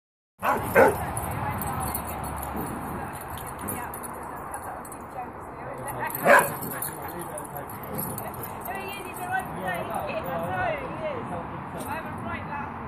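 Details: Female West Highland White Terrier playing in a garden with her friend; two sharp barks about five seconds apart, with human speech and steady background noise throughout.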